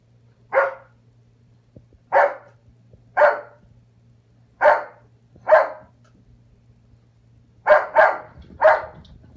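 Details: Foster puppy Ana barking while playing a chasing game with the household cat; eight sharp, bright barks spaced about one to two seconds apart, the last three coming in quicker succession, over a faint steady low hum.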